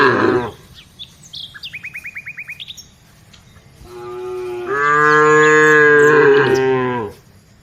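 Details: Village cow mooing while being herded: one long, loud, deep moo lasting about three seconds that swells and then fades, after a run of quick bird chirps and twittering.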